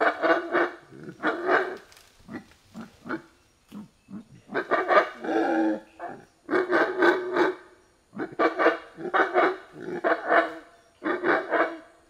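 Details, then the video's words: Monkeys in a forest give a long stretch of raucous, throaty yells and screams, delivered in rapid, rhythmic pulses grouped into repeated bouts, each separated by short pauses. "Sounds of Monkeys in the forest"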